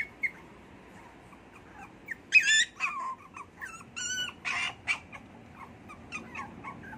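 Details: Pet poodle whimpering in a room, a few quiet squeaks building to a run of louder, strained, harmonic whines around the middle, then fading back to soft intermittent cries.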